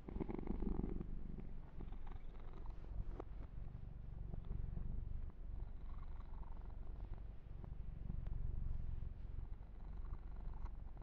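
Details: Kitten named Yumak purring during a massage with fur grooming: a steady low rumbling purr in gentle waves of rising and falling loudness, overlaid with soft brushing and rubbing noises from the grooming.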